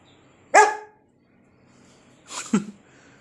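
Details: Lucy, a pet Doberman, gives a single sharp bark indoors, then after a pause of nearly two seconds a second, rougher bark dropping in pitch, in a quiet small room.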